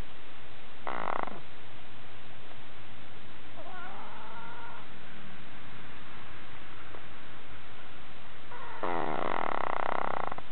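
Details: Sleeping house cat, kept for 18 years, snoring. Two loud, harsh, buzzy breaths come about eight seconds apart, with softer wavering sounds between them over a constant background hiss.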